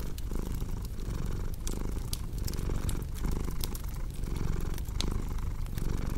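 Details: Purring cat beside a crackling fireplace: a rough, low rumble breaking into breath cycles a little under a second apart, mixed with bright, scattered clicks and pops of burning wood.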